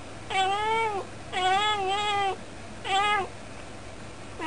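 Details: Cat chatting at the window, where it always talks; three strong, rich meows, the middle one longest at about a second, each with a slight rise and fall, followed by the start of a fourth, over a soft indoor hum.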